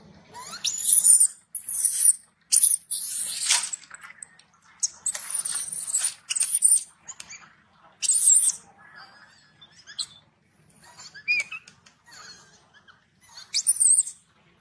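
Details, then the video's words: Angry baby macaque shouting loudly at its mother after being denied milk: harsh, noisy, very high shrieks in rapid irregular bursts, some with thin whistled squeals, repeated over fifteen seconds with brief pauses. "The mother monkey refused to give the baby monkey milk, the baby monkey got angry and shouted loudly"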